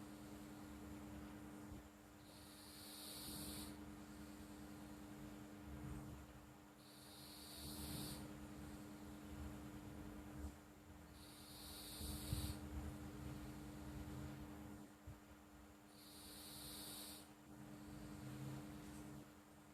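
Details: Sleeping house cat named Flo snoring: airy, hissing exhalations return roughly every four and a half seconds, with faint low rumbling between them and a constant background hum.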